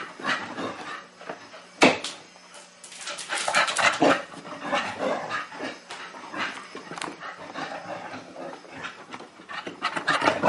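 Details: Sasha, a teething female Chow Chow puppy, indoors and playing for the first time with a new mechanical ball toy: busy, noisy bursts of puppy yips and growly vocal sounds mixed with rattling and knocking from the toy, almost continuous.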